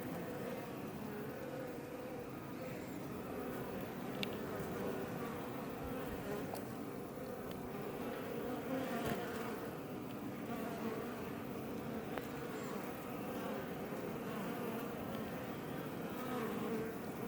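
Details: Honey bees, Apis mellifera iberiensis, around a Langstroth hive close to Els Ports Natural Park, Roquetes, Catalonia: a constant chorus of buzzing wings, thick and low-pitched, steady throughout with occasional faint ticks and knocks.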